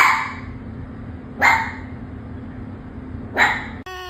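A fox gives short, sharp barks about two seconds apart, each rising and breaking harshly.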